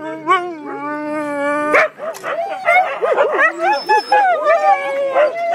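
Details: Siberian Huskies vocalizing: a long steady howl opens, then a sharp bark and a busy run of yips and warbling woo-woo calls from several dogs overlapping.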